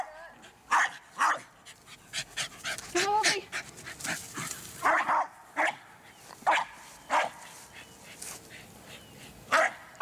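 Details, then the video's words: Eskie, the American Eskimo Dog of the Spitz family, barking in short bright bursts at irregular intervals, some with a whiny rising edge, while a person talks quietly in the background. "AMERICAN ESKIMO DOG"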